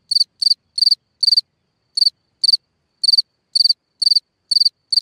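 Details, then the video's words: Cricket singing at night from a hole in the ground: short pulsed chirps of three to four quick trills at high pitch, repeated irregularly about twice a second, with clean silence between them. "Watch and Listen a singing Cricket (Chirping sounds, Hole in the ground, Night Ambient Sounds)"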